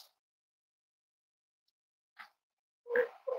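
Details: Cavalier King Charles Spaniel puppies snuggling indoors in a home raising emotional support animals, on a warm Friday morning: a faint brief squeak, then two short, soft, tonal whimpering grunts close together near the end, otherwise quiet.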